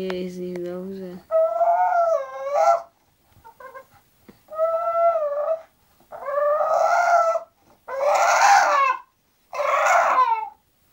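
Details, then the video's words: Zenuś, an English bulldog, grumbles while going to sleep. A low voice opens the recording. Then come a run of wavering, harmonic moans, and the later ones turn rougher and breathier. "English bulldog Zenuś go sleep"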